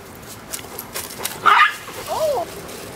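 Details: Dogs at play, Gunner with puppy Willow and a few other friends; a short rough burst followed by a thin, arched whimpering yip, with faint background noise.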